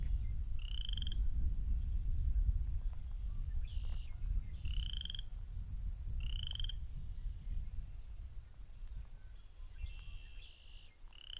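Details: Western chorus frogs give short, rising, creaky trills in early spring by cattail ponds in a park, several callers overlapping every second or two, with red-winged blackbirds also singing, over a steady low rumble of wind and footsteps.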